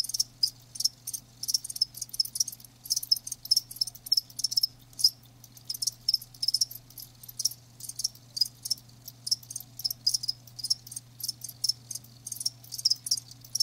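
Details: Chorus of live crickets giving rapid, shrill chirps in dense trains, overlapping pulses coming almost continuously, over a soft constant low-pitched hum.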